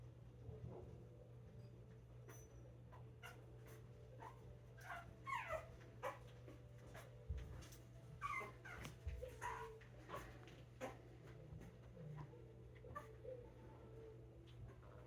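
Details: Five-week-old Puggle puppies indoors giving thin, high whimpers that slide up and down in short bursts, clustered in the middle of the recording, over a steady low hum and soft snuffly murmuring.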